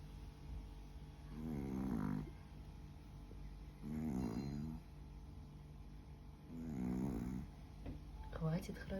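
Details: Sleeping Chihuahua snoring: three low, raspy snores, each lasting under a second and coming about every two and a half seconds, in a quiet indoor room, with a faint rustle at the end.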